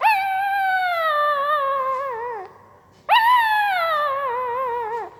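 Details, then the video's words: Two long, clear, howl-like whines from a sleeping puppy, each starting high and slowly sliding downward with a slight tremble, separated by a short silence. "Puppy Sound while Sleeping II Puppy Making Weird Noise with Mouth II सोते समय Puppy की आवाज"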